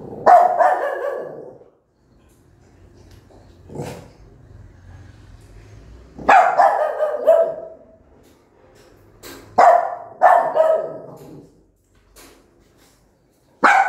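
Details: Angry mother dog barking loudly at her newborn puppies: loud, harsh barks in clusters, a pair near the start, a burst of several around six seconds, then more around ten seconds, with quiet gaps between.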